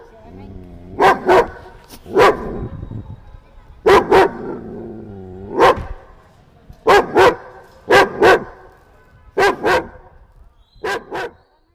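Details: Angry German Shepherd puppy giving barks in quick doubles and triples with strong harmonics, about a dozen over the stretch, some with a rough growly onset.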